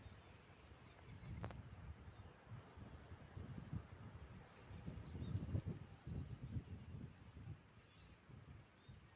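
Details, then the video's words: Outdoor insect calls: clusters of brief high pulsed chirps recurring about every second above a constant shrill hum, with rustling low-frequency background noise and a single sharp click early on. "Insects Making Sounds"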